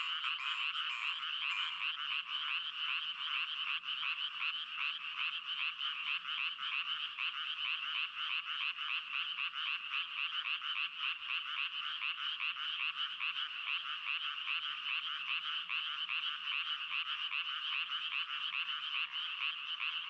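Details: Twenty seconds of frogs crying together, an endless grating chorus of quick pulsed croaks with no silence between calls, the rattling texture staying uniform and loud from start to finish.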